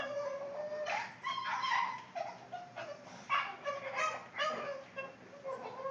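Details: A Boston Terrier making funny noises, a steady string of vocal whimpers and moaning whines that rise and dip, pulsing in quick bursts about twice a second.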